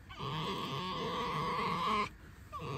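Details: Tame pet red fox, affectionate and cuddly, squeaking: a sustained, high, whining tone rich in stacked harmonics lasting about two seconds, then a brief pause and a shorter, fainter squeak.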